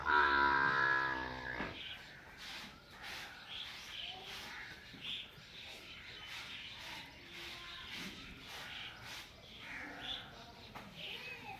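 A young water buffalo opens with a single loud, rich bawl that lasts under two seconds. Afterwards only faint, hissy village background noise remains, with a few soft clicks and distant calls.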